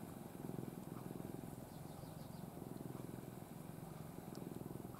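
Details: Ai, a once-stray pet cat, dozes affectionately in its owner's arms in a face-covering 'gomen-ne' sleeping pose; a soft, low, steadily pulsing purr-like rumble runs throughout, with faint high chirps in the background.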